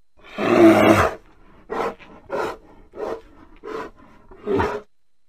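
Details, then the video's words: Drawn-out bear roar, harsh and full, opens the sequence, then five brief grunting huffs follow at fairly even intervals, with no other sounds around. "Bear sounds"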